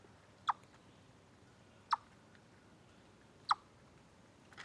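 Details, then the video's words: Three loud, isolated chips from a chipmunk at Deer Trail, 27 August 2013, captured from a live stream, spaced about one and a half seconds apart, with a soft rustle at the end. "Noise Chipmunk"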